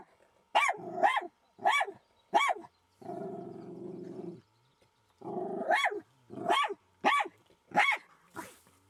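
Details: A Jack Russell Terrier confronts a fox after finding a fox den, barking sharply in quick bursts with a stretch of low growling between. The dog came away unscratched.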